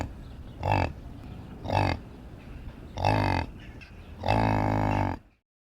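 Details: Yak grunting: three short, low, harmonic grunts roughly a second apart, followed by a longer, drawn-out grunt lasting nearly a second before the sound stops.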